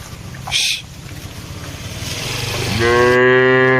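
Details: Grazing cattle in a wide plantation; a low rumbling background gives way to one rising, strongly harmonic moo that holds steady in the final second, after a brief sharp noise early on.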